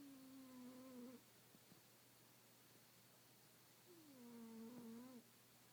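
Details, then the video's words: Snoring kitten asleep: two smooth tonal snores, each a slight downward slide lasting about a second, separated by a quiet pause, with a faint steady background hum. "Snoring kitten"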